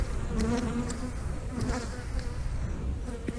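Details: Honey bees buzzing during a look into a hive: a steady low hum with faint tonal bands, while a man talks nearby about brood and eggs.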